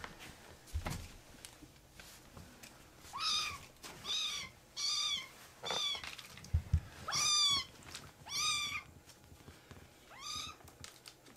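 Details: Young rescued kittens in foster care meow repeatedly, each cry a short bent wail rising then falling, roughly one per second after a quiet start; faint low thumps and room noise beneath.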